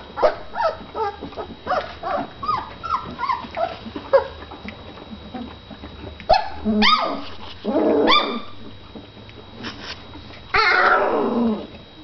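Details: Several Great Dane puppies yipping rapidly in a busy opening run, then longer drawn-out whines and a rough, noisy bark-like yowl near the end, over a low steady hum.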